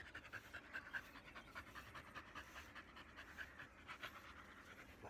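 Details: Black Labrador Retriever Bee, losing her undercoat in the shedding season, pants rhythmically at roughly one and a half puffs per second while being groomed with a brush.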